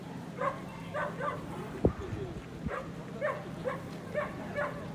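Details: Male Corgi shown at the Soshu Aiken Club dog show on 3 November 2021, giving short harmonic barks in an irregular series of about eight over five seconds, with voices and hall murmur underneath.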